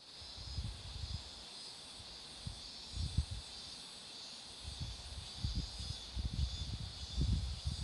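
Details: Roadside cicada chorus near flowering marigolds, a continuous shrill hiss-like drone that swells and eases slightly, while gusty low wind rumble and scattered knocks come and go throughout.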